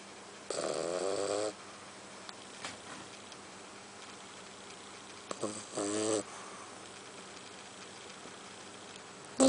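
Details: Iggy, a three-month-old French Bulldog puppy, snores while dozing: a raspy, harmonic snore lasting about a second, quiet breathing, then a second shorter snort-like snore, with a faint clatter at the very end.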